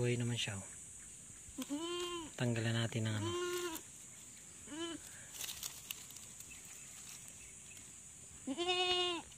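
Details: Goat on a farm around the time of birthing, clusters of bleats early on, including a low wavering call, then a quiet stretch with one brief bleat before a loud final bleat, over a steady high hiss.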